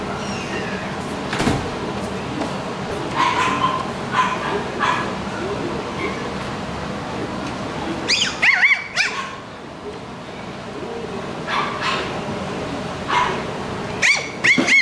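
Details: Pomeranian–Maltese mix dog at a pet shop in Kawanishi, giving sharp high yapping barks in short clusters partway through and again near the end, over steady shop background noise and voices.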